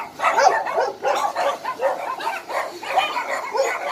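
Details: Shelter dogs at Hanna's rescue shelter in Daegu barking in a crowd, with rapid strong barks piling on one another in rhythmic waves and occasional higher yelps rising above the din.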